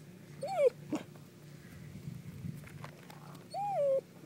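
A dachshund gives two high, ringing yelp-like barks a few seconds apart over a low hum.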